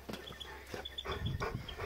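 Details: Several Newfoundland dogs give deep, gruff barks in a quick, irregular series.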